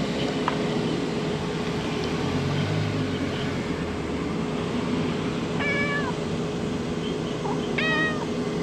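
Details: Stray cat meowing outdoors: two clear, drawn-out meows, the first near the middle and the second close to the end, over a steady background hum and low rumble.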